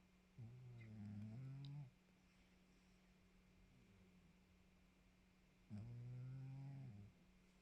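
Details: Domestic cat Maxou sleeping after a workout, giving two long, deep, buzzing snores about five seconds apart, each lasting over a second, against a quiet room with a steady low hum.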